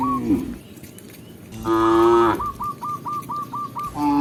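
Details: Tame cow being led back to its pen by a village shepherd in the countryside: one drawn-out, mid-pitched moo with rich harmonics, while a backing track of short, repeated, flicking notes plays around it.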